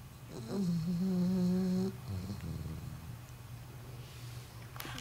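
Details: Milton, a four-month-old English Bulldog puppy, snores while sleeping in his new home beside his big brother; one long, low, nasal tonal snore with wavering harmonics, followed by softer rough breathing and a faint click at the end.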